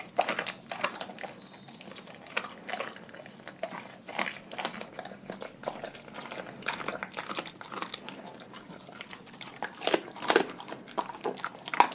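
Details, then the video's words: Dogs from a pack chewing raw food, with dense clicky crunches and moist smacking that come in quick irregular bursts throughout, growing louder near the end. "Dogs Eating Raw Food"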